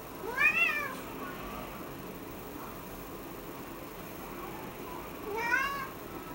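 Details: Cat meowing on finding a small flying insect on the ceiling; two loud, clear meows, the first at the start and the second near the end, each arching up and down, separated by about five seconds of quiet hiss.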